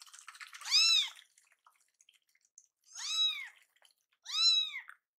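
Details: Two hungry rescue kittens cry at slow feeding: three arched, high harmonic meows spaced about one to two seconds apart, preceded by soft rustling.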